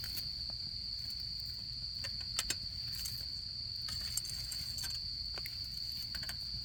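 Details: Autumn insects singing during camping season: one steady, unbroken high-pitched trill holds throughout, while a campfire crackles with frequent sharp pops and snaps over a low rumbling background.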